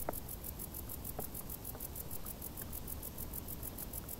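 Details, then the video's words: Crickets chirping in tall grass during hot summer: a high, steady pulsed trill repeating about five times per second over a low background hiss, with a few soft clicks. "Grilli | suoni dall'erba alta"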